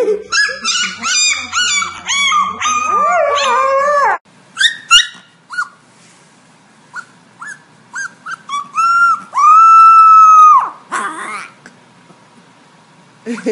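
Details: Puppy howls and yelps: a burst of rapid high yelping, then scattered short squeaks, then one long, steady, level howl held over a second, followed by a brief noisy bark-like burst.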